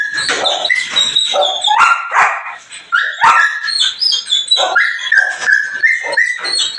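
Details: Belgian Malinois in the morning, giving sharp yipping barks mixed with high, drawn-out tonal whines that rise and fall, with short pauses between bursts.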